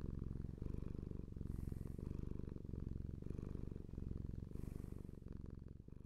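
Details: Cat purring close by: a rough, low, steady rumble broken into breath-length surges about every one and a half seconds, soft airy hisses between, fading slightly at the end.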